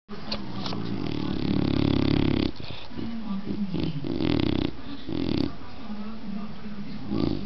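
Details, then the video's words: A dog snoring: long, rough, low rumbling breaths lasting one to two seconds each, split by brief quiet gaps, with a steady hiss throughout. "cachorro roncando"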